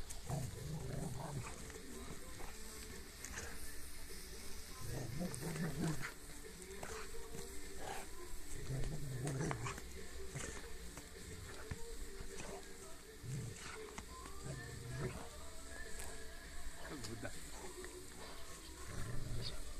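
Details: Pet Rottweiler playing with a rope, giving low, rumbling growls in short bursts that recur every one to three seconds over a steady background hiss and occasional knocks.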